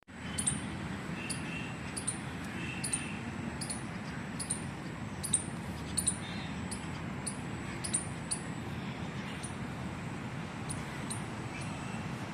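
A squirrel gives a run of sharp, high chirps, repeated about once a second over a low rumble.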